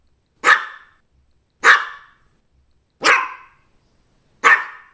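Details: Barking Maltese dog, four single sharp barks evenly spaced roughly every 1.3 seconds, each bright and abrupt then fading fast, no other sounds.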